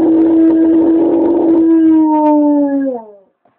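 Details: Onyx, a pet dog, howls at a fire truck driving near the home neighborhood, captured on a BlackBerry phone: one sustained, steady, tonal howl with rich harmonics, level for about two seconds, then sliding downward and fading out near three seconds.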